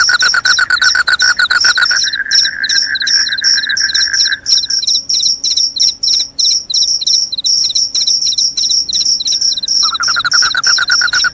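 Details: Crickets, said to repel rats and cause drowsiness: dense high chirping throughout, a lower pulsed trill for the first half that stops, then returns near the end, with a continuous chorus of overlapping callers.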